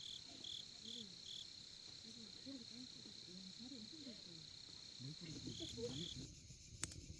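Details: Crickets at a campsite in Korea at night give a steady, high ringing trill, with pulsed chirps in the first seconds, beneath people talking close by throughout.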